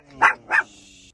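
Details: A Chihuahua, a little one, on a sudden three-hour car trip, gives two short sharp barks in quick succession, about a third of a second apart, over a steady low engine hum.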